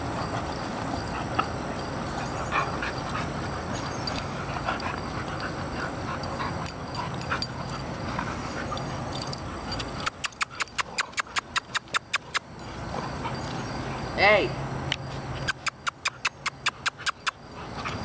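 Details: Mother and daughter American Bulldogs, Kandi and Montigo, play-wrestling in summer; breathy scuffling and low grumbling for ten seconds, then bursts of sharp rapid clicking taps and one brief rising whine.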